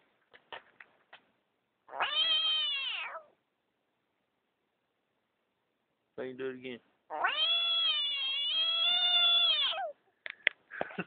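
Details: An angry frog found in a driveway, loudly protesting after being disturbed by a child, sounding like an irritated cat: two long, harmonic, wailing cries of one to three seconds each, with a child's voice and brief clicks around them.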